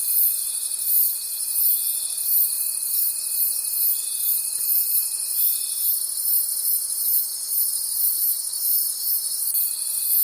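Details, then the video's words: Forest crickets at night sing a bright, high-pitched pulsing trill, about three beats a second, layered over an on-and-off steady tone. "Cricket Conversations at Night"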